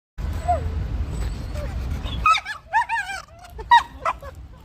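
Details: A male beagle playing with a dog friend gives a run of high, wavering whines and short yips like a fast-forwarding tape after a muffled rumble; any barking comes from a third dog watching.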